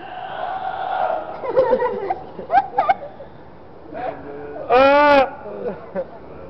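A seal gives a loud, nasal, bleating cry after a stretch of murmured human voices.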